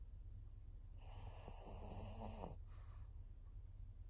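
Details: Maria, a fourteen-year-old fawn female senior pug in Japan, recorded 22 September 2024, gives one long rasping snore of about a second and a half, then a short breathy exhale. A steady low hum runs underneath.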